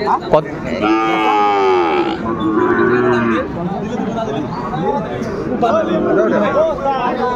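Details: Sahiwal bull calves, about eight months old, at a busy cattle market on 24 February 2025. A long, loud, richly harmonic moo fills the first two seconds, followed by shorter lowing calls over crowd chatter and voices.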